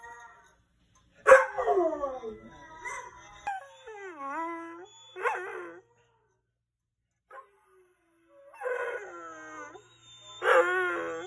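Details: A male Vizsla puppy howls in long, wavering tones that slide down and climb back up in repeated bursts, howling along to a video of his own howling.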